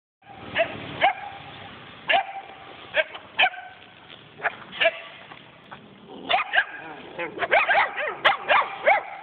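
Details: Kangal and German Shepherd mix puppies barking indoors, recorded on an Android phone: sharp high yips scattered irregularly, then a faster cluster near the end, with faint speech.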